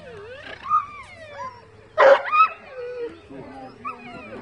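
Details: Rhodesian Ridgeback named Diesel at a dog show on 2 July 2017, more distracted by the surroundings in the second round; high, drawn-out whines that bend up and down, with a short sharp yelp in the middle and people talking nearby.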